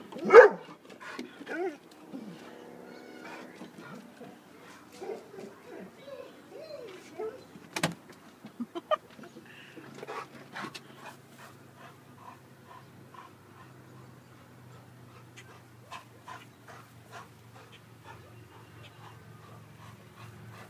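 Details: A female Weimaraner that hates hot air balloons gives sharp barks and higher yips at balloons flying over the back yard while a person urges her on.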